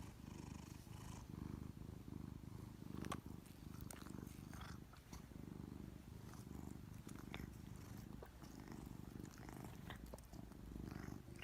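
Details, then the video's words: A giant Maine Coon cat purrs and snores steadily, a deep rumbling vibration with a soft snoring quality. "Giant Maine Coon Cat's Adorable Purring & Snoring - Viral Sensation!"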